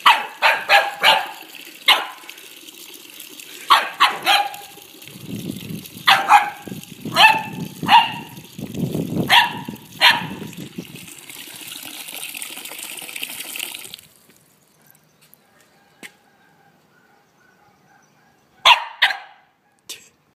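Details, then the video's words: A 4-month-old female corgi puppy gives sharp, high yapping barks in quick bursts at a running water tap. "My baby corgi Zelda barking at water tap"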